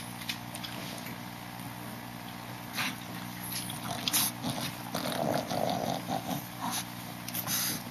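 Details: A 39-day-old Boston Terrier puppy makes soft grumbling growls and snorts that become busier toward the end, with a few sharp clicks and a constant low hum behind.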